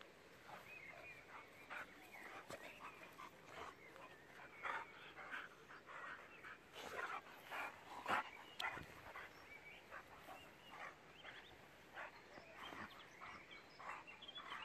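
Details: Six-year-old German boxer dog Jack playing with a young pitbull; a steady run of rough growling barks and whimpers, many short bursts spread across the stretch, with a few human voices in the background.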